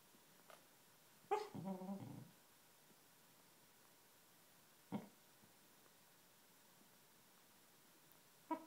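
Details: Siberian Husky puppy giving a sleepy bark while sleeping indoors, waking its sister; a short low whimpering bark with a wavering tail, then faint isolated soft sounds and a quiet room.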